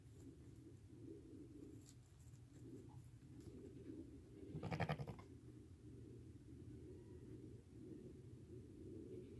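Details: Crying from day-old lambs, less than five hours old, walking and nursing with their mother: one brief rough bleat rises out of a murmuring low background midway through.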